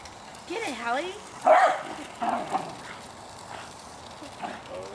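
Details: Hali, a pet Jack Russell Terrier, attacks a remote-controlled toy car. A rising, whiny yelp is followed by two short, sharp barks about a second apart, while a person talks and urges her on.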